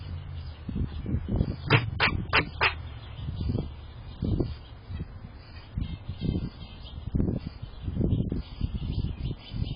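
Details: A chatty squirrel gives a quick run of four sharp, clipped barks near the two-second mark, then scattered softer chucks over steady low rumbling background noise.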